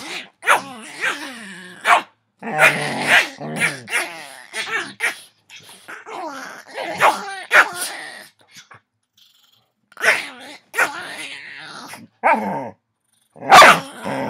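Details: Dogs playing at wrestling on a Saturday afternoon, not really fighting: a busy mix of rough growls, snarls and short barks in bursts, with brief quiet gaps between scuffles.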